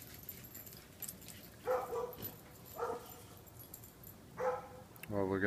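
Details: Neighbour's dogs let outside in the afternoon of 22 January 2014 bark in short single woofs spaced about a second apart, answered near the end by a person speaking close by.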